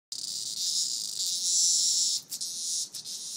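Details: Cicada caught by a dog and played with as a toy, near the end of its life; a loud, steady, harsh buzzing hiss that swells slightly, then breaks off in two brief dropouts near the end.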